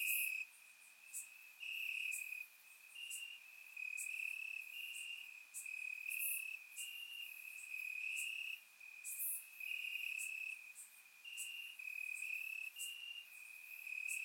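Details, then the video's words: Summer-night crickets in Bulgarian grassland keep up a continuous high-pitched trill that swells and fades every second or so, while sharper short chirps from several other callers flicker above it. "Cricket Sounds - Crickets Chirping at Night"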